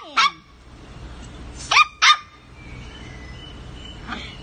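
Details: Havanese puppies giving a short falling yelp, then two quick sharp barks in close succession, followed by quieter background noise and a faint final yip.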